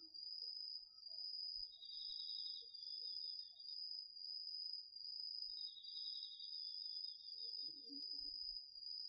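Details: Crickets among an autumn night chorus of insects in a garden vegetable field, captured with a DR-40X recorder: a steady high shimmering trill runs throughout, joined twice by a lower pulsed trill lasting about two seconds each, over a faint low rumble.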